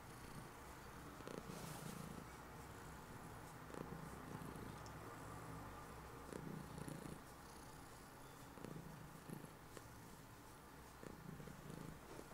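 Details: Domestic cat Heliana, a female, purring in bed just after waking while keeping her owner from getting up; steady low rumbling purr with pulsed bursts throughout, some louder surges, quiet indoor background.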